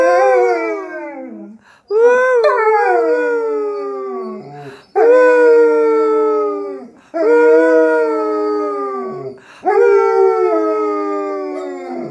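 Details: A German Shepherd, prompted to "sing", howls in long, wavering, falling tones repeated in a rough series.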